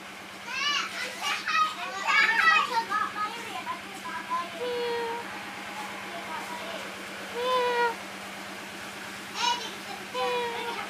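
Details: Kittens under a wooden hole call in a busy burst of squeaky, wavering mews, some quick and stuttering, others longer and falling, spaced out toward the end, over a low continuous hum.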